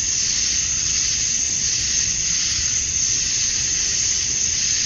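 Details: A summer-dusk chorus of male cicadas in Georgia, USA, singing to draw females. It is a continuous shrill, hiss-like wash of high sound with a piercing top note that never pauses, and nothing else stands out.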